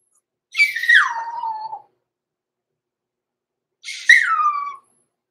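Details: Blenheim Cavalier King Charles Spaniel puppy, six weeks old, in a home puppy pen overnight. Two drawn-out whines, each starting high and sliding down in pitch, separated by about two seconds of silence.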